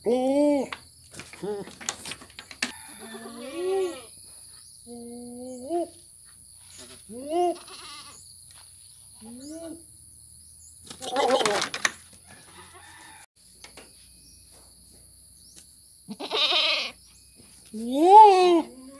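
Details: Goat bleating: a run of short, wavering, nasal bleats about every two seconds, several rising toward the end, mixed with clicks, knocks and brief human voices.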